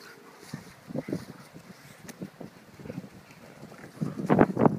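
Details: A Boston Terrier playing ball gives short, rough barks and grumbles, ending in a louder burst of barking.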